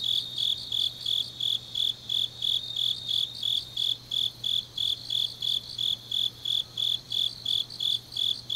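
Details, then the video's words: Grass insects singing on a deep autumn night in Changnyeong, South Gyeongsang, South Korea: high, shrill chirps repeated steadily about three times a second, each a short buzzy pulse, with a faint low steady hum beneath. "깊은밤 가을 풀벌레 소리"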